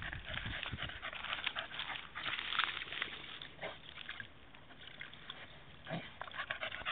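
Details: Staffordshire Bull Terrier, a female dog, cooling herself in a puddle on a very hot day; rapid breathy panting bursts with splashing and sloshing water throughout.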